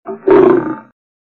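A lion growls once, a harsh, rasping sound lasting under a second. It starts with a soft rumble, then rises into a louder, gritty burst before trailing off.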